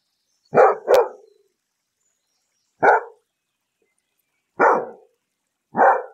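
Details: A dog, one of a beagle, German shepherd, Labrador retriever, French bulldog or golden retriever, barks in short, loud bursts: a quick double bark followed by single barks.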